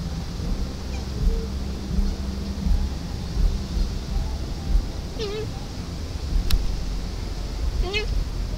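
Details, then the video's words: A deer mother calling for her fawn gives two faint, falling bleats near the end, mostly masked by heavy low wind rumble. "Doe calling fawn"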